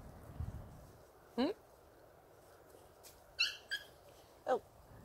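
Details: Samoyed puppies of the A litter, 39 days old, give three or four short, high yelping barks with bright harmonics that rise in pitch, spaced a second or more apart over steady low background rumble.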